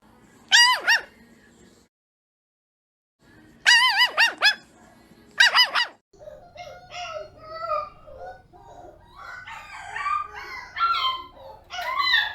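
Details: Puppies barking: three clusters of high, ringing yelps with arched tones, separated by pauses. These are followed by a busier stretch of overlapping thin yips and squeaks.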